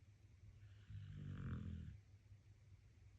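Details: Sleeping dog relaxing contentedly, one drawn-out low snore swelling and fading over about a second, with a constant low background hum.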